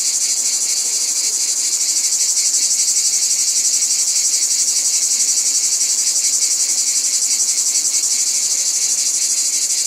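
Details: Unbroken wall of shrill cicada sound, a bright high buzz pulsing quickly and evenly, several beats each second, steady in loudness throughout.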